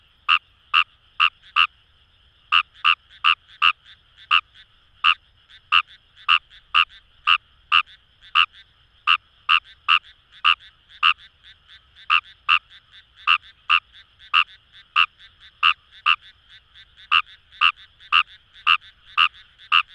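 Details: Long run of Indian rice frog calls from paddies at Itoshima, Fukuoka: dense series of brief harsh croaks, a short pause early on, then steady rapid calling with background frogs filling the gaps.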